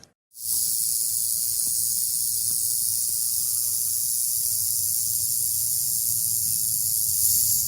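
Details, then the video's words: Rattlesnake rattling: a steady, unbroken high-pitched hiss-like buzz that starts abruptly after a brief silence and holds without pause for about seven seconds, with faint low rumble beneath. "Rattlesnake Rattle Sound"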